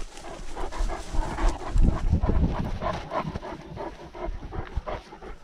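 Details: Great Dane panting while out on a walk, recorded by a dog-mounted action camera during lockdown; rapid, rhythmic breaths about three per second over low thumping and outdoor rustle.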